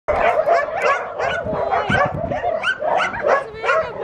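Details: A dog yelps and barks in a rapid, uneven run of high, strained, harmonic calls, about two to three per second, continuing through the whole stretch with only brief dips in loudness.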